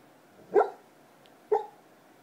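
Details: Black Labrador barking in its sleep on a normal night: two short, muffled, breathy woofs about one second apart against quiet room hiss.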